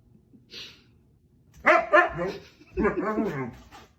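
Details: Husky dogs waking a person: after a faint hiss, two loud rough barking yowls followed by a longer wavering husky woo, harmonic and throaty, in a small room.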